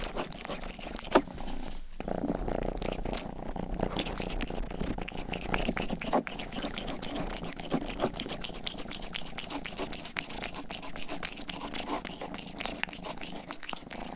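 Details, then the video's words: Rang-i, the household's youngest pet cat, purring indoors in an ASMR recording while licking a binaural microphone's ear. A low continuous rumble runs beneath dense wet licking and clicking sounds throughout. "ASMR 하는 고양이!(Purring & ear licking sound)"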